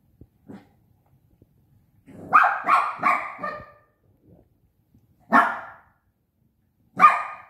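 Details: Playful barking from Bradley, a Shih Tzu puppy aged five months, romping with a pop-up tent: a quick run of four high yappy barks, a pause, then two more single barks, with faint scuffling between.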